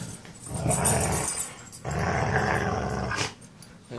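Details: Red, an eight-month-old Siberian Husky available for adoption, growling while playing tug-of-war with another dog. Two long, rumbling, low pulsing growls with a brief pause between them.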